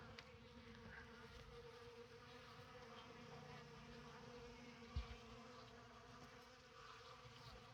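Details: Honey bees at an open winter feeding on December 6, working honey left in a tote with oak leaves and fresh comb. A steady droning hum with layered tones runs throughout, with one sharp knock midway.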